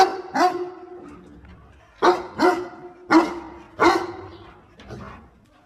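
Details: While its owner picks water spinach, a dog gives single and paired barks about a second apart, each bark bright and ringing, ending with a softer one.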